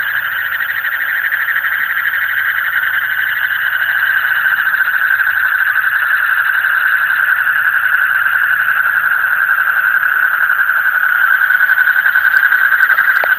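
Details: Frogs calling in the deep night near Sylhet, a continuous loud rapid trilling chorus, pulses repeating several times a second without pause, steady throughout.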